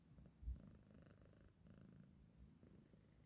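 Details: Low, steady purring rumble from a male house cat disturbed from sleep by its owner, quiet and even with one brief thump near the start.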